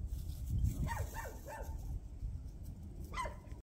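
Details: Village puppy in the Taean countryside in winter, overjoyed at meeting people: a quick run of three or four short, rising-and-falling yelping whimpers, then one more after a pause, over steady low outdoor rumble.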